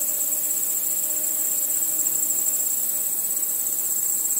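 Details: Steady nocturnal cricket chorus under the stars, a thin, high, rapidly pulsing trill with faint low droning tones underneath.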